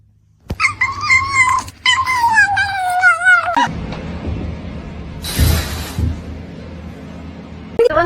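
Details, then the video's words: Kitten giving a run of wavering, harmonic meows over about three seconds, with pitch wobbling up and down. Afterwards come room noise, a brief hiss-like burst and a faint final call. "Kitten meowing"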